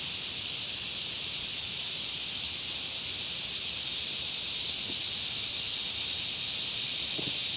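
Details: Insects by a country pond keep up a dense, high, hissing trill without gaps, while a couple of faint short sounds surface briefly in the background late on.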